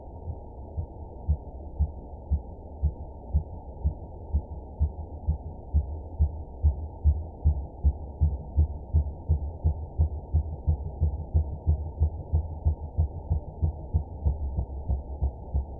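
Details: A clean minke whale (Balaenoptera acutorostrata) pulse train recorded in Scottish waters, a call probably made by males: deep, muffled thumps repeated rapidly, about three each second.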